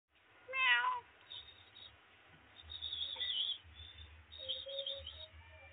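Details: Domestic cat sitting by a laptop gives one short, clear harmonic meow near the start, followed by quieter mewing sounds and low background hum.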